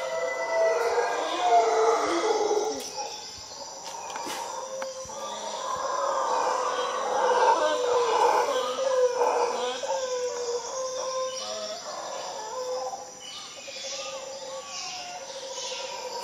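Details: Howler monkeys in Costa Rica, several animals filling a tree, roar together in a dense, droning chorus that swells and fades over about sixteen seconds. Insect hum and faint bird calls run beneath.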